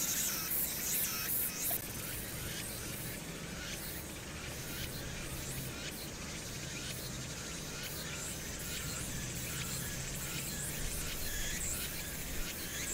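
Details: Summer cicadas on Hwangnyeongsan, Korea, recorded 1 August 2019 over city noise; a thick, pulsing high-pitched buzz of many insects with rapid stuttering bursts and a noticeable low traffic drone underneath.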